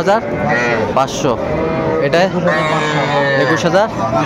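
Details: Cattle at a market in Narail, Bangladesh, on 18 May 2024, where small bulls and heifer calves are being bought: a steady low drawn-out moo under busy overlapping men's voices and crowd chatter.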